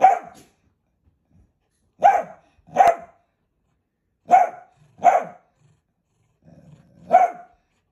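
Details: Pet Dachshund barking in irregular single and paired barks spread over eight seconds, with short silences between, and a faint low growl just before the last bark.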